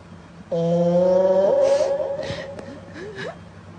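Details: A cat snoring into a microphone: one long tonal, slightly wavering breath sound about a second long, trailing into softer gliding notes, with a sharp click near the middle.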